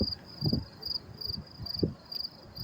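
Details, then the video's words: Crickets chirping at the Mets-Willets Point LIRR train station in New York City on May 28, 2024, around 10:30 p.m.; high, steady pulsed chirps repeat roughly every third of a second over low rumbling station noise. "sound of crickets chirping"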